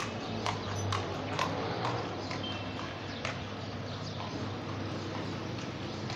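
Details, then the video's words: Horse-drawn carriage on an early-morning street, hollow clip-clop hoof strikes at an uneven pace of roughly two per second against a low, steady hum. "the sound of horses' hooves on the ground"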